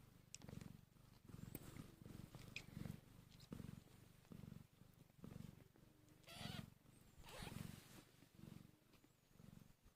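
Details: Tiny newborn kittens, one hour after birth, hungry: a deep pulsing purr repeating about once a second for ten seconds, with a brief hissy rustle around six and a half seconds.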